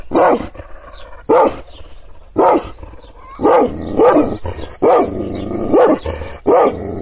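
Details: Angry Kangal shepherd dog barking after being provoked by hand gestures: eight loud, deep barks, each with a short falling rise, spaced about one second apart, with low rumbling between them.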